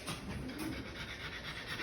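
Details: French Bulldog female in labour, self-whelping at home late in the evening during her first natural birth; steady rapid breathy panting fills the whole moment, with a broad hiss and no voices.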